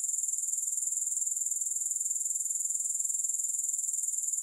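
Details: Soothing grasshopper chorus with no music: a continuous high-pitched, finely pulsed buzzing that holds a constant level and rhythm throughout, with no other sounds.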